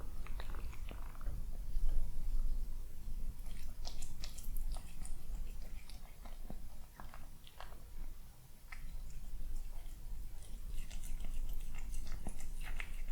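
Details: Eating breakfast on a peaceful morning at home, a young male cat makes quick moist chewing clicks, many per second, with short pauses and bursts of crunching over a steady low room hum.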